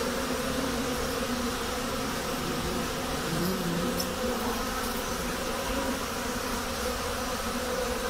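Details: Spring activity of honey bees at hives kept in a hut, on a thawing day of about 10 °C with melting snow: continuous low buzzing hum holding one level throughout, with some hissy background noise.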